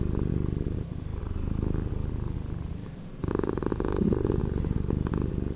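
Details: Domestic cat purring, slowed down: a low, steady rumbling purr with dense pulsing texture, softer through the middle then swelling louder again as a new breath phase begins after about three seconds.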